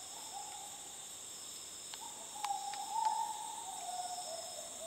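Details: In the jungle of north Borneo, Sabah, in 2011, gibbons give long, mid-pitched hooting notes that swell and lift slightly toward the middle, over a high, steady insect buzz.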